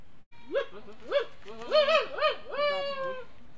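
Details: Goats on a goat farm giving a run of about six loud, wavering bleats, each a rising-then-falling nasal cry, coming in quick succession over a few seconds, with a longer drawn-out bleat at the end.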